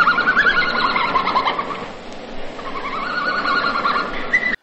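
A red panda gives rapid, high twittering chirps in quick repeated bursts.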